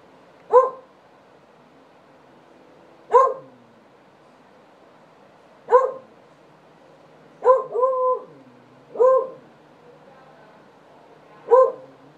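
A beagle gives loud, sharp barks, spaced a few seconds apart.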